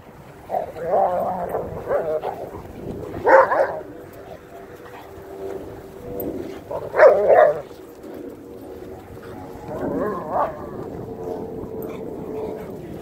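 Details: Several dogs at play on January 11 in a home yard, including 8-month-old Lycan Shepherd Ulu, 8-month-old Renascence Bulldogge Ogryn, Blue Bay Shepherd Kurgan and German Shepherd Lobo, running around; rough barking and growling bursts come roughly every three to four seconds, with some talking.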